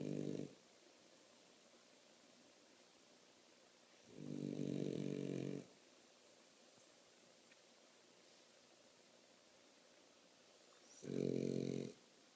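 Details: A French Bulldog snoring: three low, rough snore bursts, each about one to one and a half seconds long, separated by quiet gaps of several seconds, with faint breathing noise between them.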